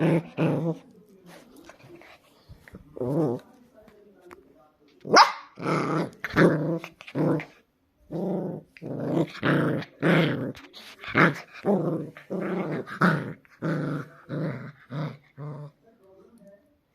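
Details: Indian Spitz puppy, also called Indian Pomeranian, angry: series of short harsh growls and barks in bursts, mostly low and mid pitched, repeated roughly every half second from five seconds on, with brief pauses.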